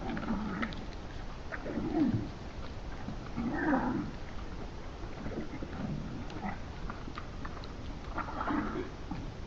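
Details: Red deer on Saaremaa, Estonia, on 6 February 2025 give short, low, nasal grunting calls at irregular intervals a few seconds apart.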